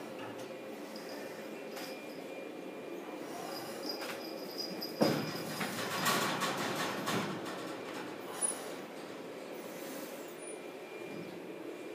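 Steady mechanical rumble and clatter, like a passing train, with no animal voices.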